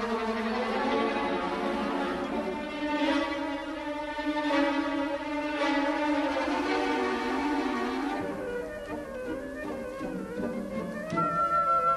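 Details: Bowed string music with violin and cello plays throughout, with no animal sound heard.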